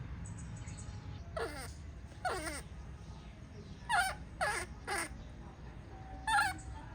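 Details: Baby monkey protesting its mother's departure with a run of wavering, quavering cries that slide downward, about six calls in seven seconds, some shrill and bent, against a constant low hum.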